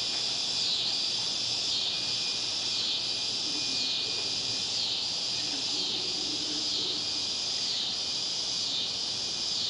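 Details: Cicadas in Baton Rouge at dusk, when they call most intensely: a dense, continuous high buzzing chorus that swells and fades in a steady pulsing wave roughly once a second, with no other clear sounds.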